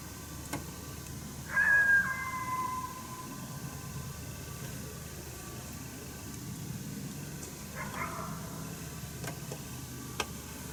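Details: Wild coyote, heard but not seen on a 1 March 2019 hunt at St-Andrews, barking its displeasure at a person nearby; a sharp yelp with a drawn-out, falling whine, then a fainter second yelp several seconds later, against a quiet hiss.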